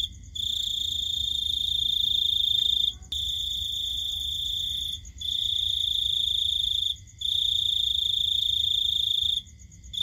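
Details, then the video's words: Night-time cricket song made of sustained shrill, buzzing trills running two to three seconds each, separated by short breaks, with a gentle low hum in the background. "Cricket Sound"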